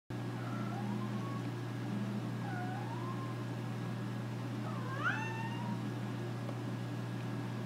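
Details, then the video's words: Nora, an American Curl cat, loudly voicing boredom and wanting action. Three drawn-out meows, the last rising sharply and sliding down, are heard over a steady low electrical hum. "Bored american curl"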